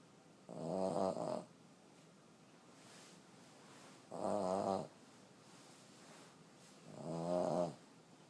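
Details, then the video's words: A 14-year-old female Boston Terrier snores loudly, each rumbling breath lasting about a second and returning every three seconds. "Cutest elderly Boston terrier snoring so hard"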